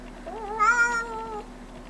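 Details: Silver Bengal kitten singing on request from its owners indoors: one long drawn-out tonal meow of about a second, steady then gently falling, with rich harmonics; people coax it beforehand and react afterwards.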